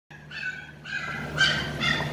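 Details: Show-quality Saint Bernard dogs, male and female, in Delhi, with pups available; three high, harmonic whining yelps, each under half a second, rising in loudness, over a steady low hum.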